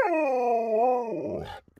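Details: Pet Alaskan Malamute named Sherpa, fiddling with a phone and talking back indoors: one long, steady, rich howl with a slight rise near the middle, trailing off into a lower rough grumble.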